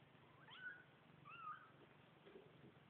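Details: New kittens giving two short, thin meows that bend up and then fall, the second about a second after the first, soft against a steady low hum.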